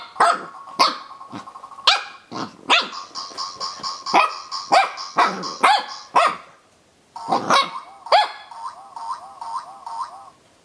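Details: Corgi puppy Zorro barks repeatedly at a noisy dog toy, giving rapid, high, sharp yaps, some nearly a second apart, over the toy's buzzing electronic tones that continue alone at the end.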